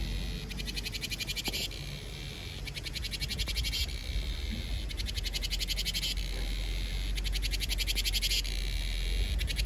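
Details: A cicada sings in summer in pulsing, rasping bursts that swell and fade roughly every two seconds.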